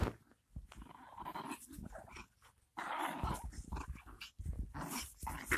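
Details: Chihuahua named Canela in an aggressive mood, tugging at trousers with her teeth. Low, gritty growls rise and fade in short uneven bouts, with brief pauses and a longer quiet gap near the middle, plus scuffling fabric sounds.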